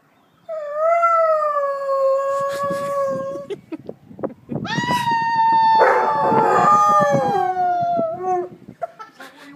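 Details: Alaskan Malamute, a 2-year-old pet dog, howls back at police sirens; a steady level howl, then a louder howl that rises and wavers before sliding down, with rough noisy bursts and a fading yip at the end.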